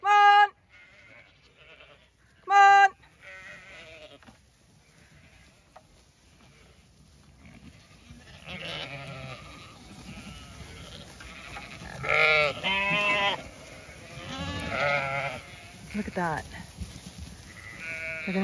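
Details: Zwartbles sheep, ewes and lambs, rushing into a garden paddock of greens on a County Kilkenny farm in Ireland; a few sharp bleats early, then a busy stretch of overlapping bleats, rustling and movement.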